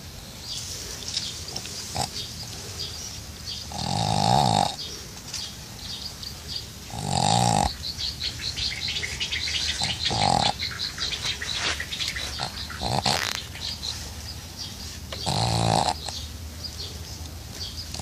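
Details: Pug dozing off while being bathed: loud rasping snorts at intervals of about three seconds, each a broad noisy burst, with splashing water between them.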